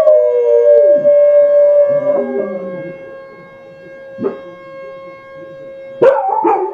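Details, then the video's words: Two pet dogs, Indy and Oz, howling together: a long steady mid-pitched tone held for about two seconds with a lower wavering voice beneath, then quieter sustained howling with brief sharp yelps breaking in near the end. "Indy and Oz howling"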